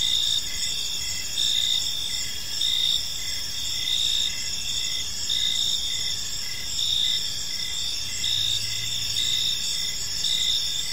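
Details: Crickets trilling in a park as evening falls, a bright steady high-pitched chorus pulsing near once a second, with a brief low hum partway through and soft background noise.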